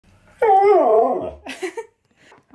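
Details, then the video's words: A husky with a new leg brace answers indoors as its owner questions it about the brace. It gives one wavering, harmonic howl of under a second that rises then sags, followed by brief grumbling sounds and quiet. "Husky Tries To Avoid Talking About NEW Leg Brace!"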